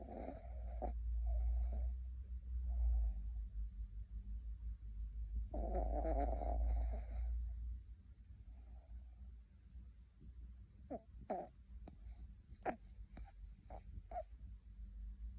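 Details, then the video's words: A puppy in deep sleep while dreaming, twitching and grinding its teeth, snores heavily: deep rumbling breaths about every two seconds with one louder rasping snore, followed by softer breathing and several sharp clicks. "꿈꾸는 강아지 (코골이+이갈이+움찔움찔)"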